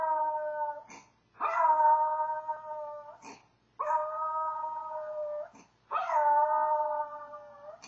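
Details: Maltese dog howling from separation anxiety: three long, steady, tonal howls of about two seconds each with layered harmonics, separated by brief pauses and soft clicks.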